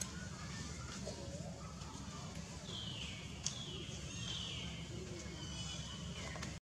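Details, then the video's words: Small wild baby monkey Jinx cries sadly for milk because old mother Jade's milk has dried up; thin, high wavering squeals rise and fall over several seconds above a steady low rumble of traffic-like background noise. "SMALL BABY JINX CRY VERY SAD UNDER DRY MILK OF OLD MOM JADE"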